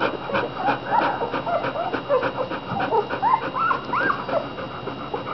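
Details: American Bulldog puppies, fifteen from two litters about five days apart in age, eating and sleeping; soft high squeaky whimpers and short rising whines scattered throughout, several pups calling over each other with a steady hum behind.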